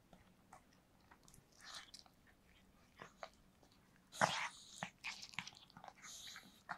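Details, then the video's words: Dog eating cake, recorded up close indoors: soft wet licking and chewing with scattered crisp smacks and bites, one louder crunch midway, quiet between. "강아지 케이크 먹방 ASMR(리얼 사운드)"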